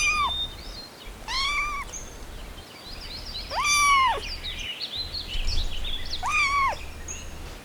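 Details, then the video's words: Puppies at play in a garden give four separate, drawn-out, arching whimpers, rising then falling, spaced about two seconds apart over faint background noise. "Adorable Puppies Playing in the Garden – Cute Dog Sounds"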